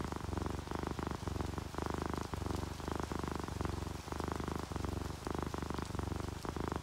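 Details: Sleepy pet cat, an orange tabby or calico, purring in low regular pulses, each breath a rumbling swell, accompanied by light rain and dripping water.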